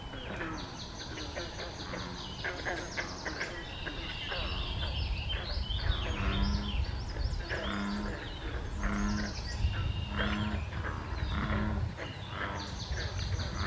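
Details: Frogs give low, evenly spaced croaks in a steady series beneath a lively mix of birdsong, at a small pond beside the Air Line Trail on May 21, 2024.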